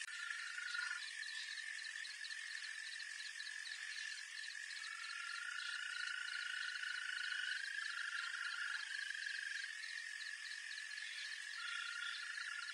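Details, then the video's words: A wild green toad chorus, with sustained high, even trills that rise and overlap between callers, set against a constant background of fast pulsed insect-like chirring. "קרפדה ירוקה קולות מהטבע"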